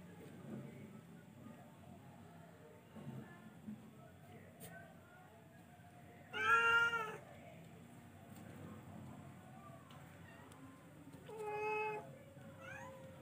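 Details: Charcoal cat, F1, with two meows separated by several seconds, the first loud and sharp, the second softer and shorter, amid faint background rustling and low hum.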